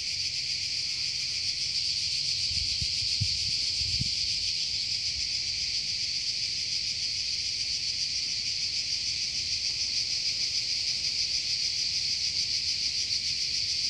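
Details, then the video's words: Steady high buzzing of cicadas in a Croatian forest, a constant shrill hiss with subtle fast pulsation; a couple of brief low thumps occur early on. "Cicada (Cicala) in Croatia"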